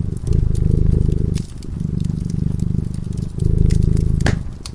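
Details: Purring cat asleep in front of a crackling fireplace: three long, low, fluttering purr phrases tied to its breathing, with a distinct fire pop near the end.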